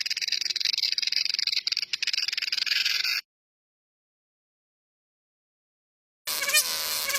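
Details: Cicada. A cicada sings a dense, high-pitched electric buzz that holds steady with a faint rapid pulsing. The drone stops suddenly, leaves a few seconds of silence, then starts up again just as loud.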